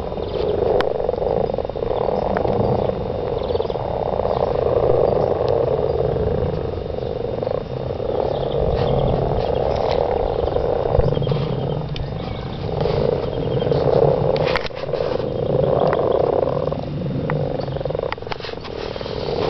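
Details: Garden frogs in mating chorus: many overlapping croaks form a steady rattling drone, swelling and easing in waves, with a faint low rumble beneath.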